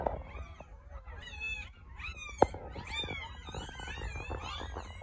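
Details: Ten newborn puppies in an incubator after a caesarean birth, waiting for their mother to return from being stitched up; overlapping thin, high, arching whines and squeaks, with one sharp knock midway over a low room hum.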